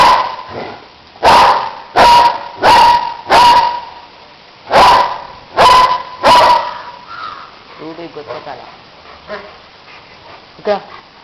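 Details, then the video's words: German Shepherd barking in a series of seven loud, harsh barks spaced under a second apart, followed by quieter whines and low sounds. "German shepard barking"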